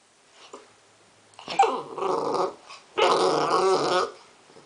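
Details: Seven-week-old blue pit bull puppy named Jah growling in two rough, buzzy bursts, the second longer and steadier, as if indoors in a small room.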